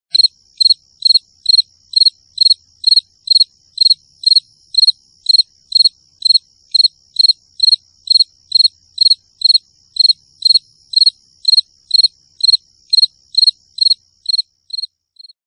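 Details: Cricket chirping steadily, short pulsed chirps repeated about twice a second with a high tonal band and a fainter overtone, continuing for the whole stretch and fading slightly at the end; no other sounds.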